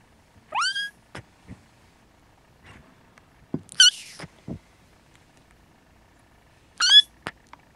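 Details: Restless Siamese kittens napping with their mother Siamese cat give three high, upward-sweeping mews several seconds apart, with soft rustles and light taps between calls.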